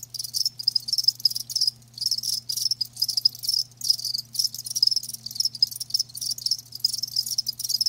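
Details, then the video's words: Shrill trilled bursts from live crickets, each lasting about half a second to a second and separated by short silent gaps, repeating steadily throughout. "Live Crickets 60min "Natural Sound""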